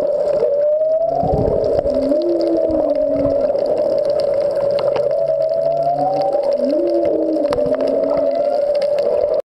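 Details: Humpback whales singing out of sight near the Back Wall of Molokini, off Maui, heard underwater: repeated upswept whoops alternating with low, bending moans every few seconds, over a steady drone and faint clicking.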